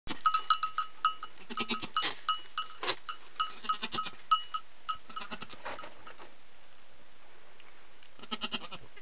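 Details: Newborn goat kid seconds after birth while the mother washes her and talks to her: soft, short, low bleats repeated in quick bursts, with a bell jingling steadily throughout and a final cluster of bleats near the end.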